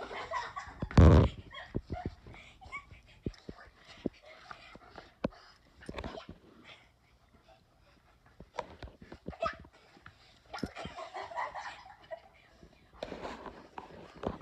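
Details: Pestered by his insistent little sister, Daikichi, a seven-year-old male Bernese Mountain Dog, retaliates on a hot day; one loud harsh outburst near the start, then quieter scuffling, thumps and intermittent snarling noises.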